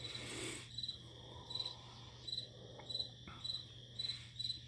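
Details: Cricket calling at night in a quiet spot, high thin chirps in short pulsed bursts repeating about every half second, steady and even, over a constant low electrical hum.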